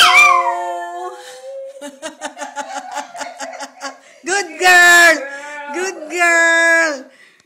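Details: Female Chihuahua singing with her owner: a falling howl, then a run of short pulsed yips, then two long, high, drawn-out howls, with a woman praising 'good girl' nearby.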